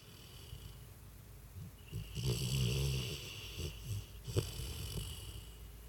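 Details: Freddy, a sleeping dog, snoring while twitching: low rumbling snores build around the middle with snorting breaths, broken by brief sharp snuffles, over a soft steady background hiss.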